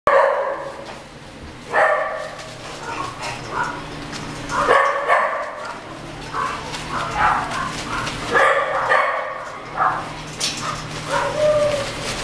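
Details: Beagle and Mountain Cur mix puppies giving a busy chatter of short, sharp yips and squeaky barks in bursts, with quieter whines between and a low steady hum underneath.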